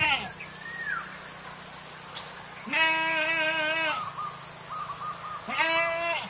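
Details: Goats grazing freely on wild grass in village fields, where they are let out from morning to evening; two drawn-out quavering bleats, the first over a second long, with a steady high buzz, faint chirps and a brief voice-like sound at the start.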